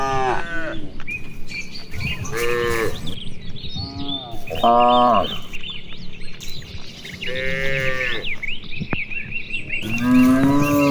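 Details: Cattle grazing and running about in rice fields in the afternoon, exchanging short, overlapping moos of varied pitch, some brief and clipped, with frequent bird chirps throughout.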